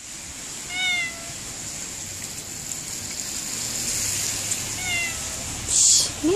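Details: Cat meowing in cold, rainy weather: two drawn-out, slightly falling meows about four seconds apart, over a steady hiss of rain and a brief scrape near the end.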